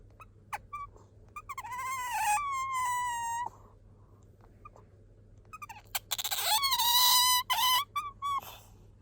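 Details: Squeaking from Bingo the pet otter, who voices this when drowsy or seeking affection: sharp clicks and chirps building into high whining squeaks that level off, two main bouts with quiet between.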